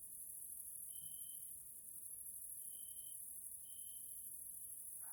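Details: Grasshoppers in a Hungarian nature area, Central Europe, in the evening: a steady, very high continuous hiss of insect stridulation, with drawn-out pure tonal notes held for about half a second and repeated at irregular intervals.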